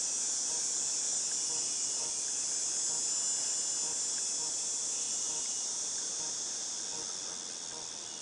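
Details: August 2018 recording of cicadas: a continuous shrill droning hiss, very high and even, fading slightly toward the end, with faint low background rumble.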